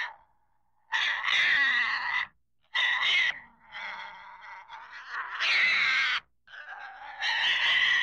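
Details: Pig squealing loudly in long, harsh, high-pitched screams lasting one to two seconds each, separated by short silences, with a softer wavering whine in between.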